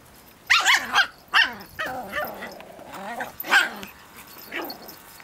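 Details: Pip and little Bracken tussle over a twig in a play-fight, and Bracken is unsure of herself when Pip goes into Tornado Mode. Sharp, high barks and yips come in quick bursts, easing into softer growly yaps.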